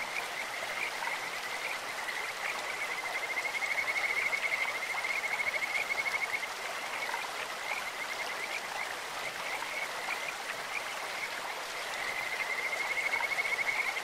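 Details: In a clear stream, Kajika frogs utter long, high, sweet trilling whistles, one stretching about three seconds and another near the end, set against the continuous broadband rush of the water.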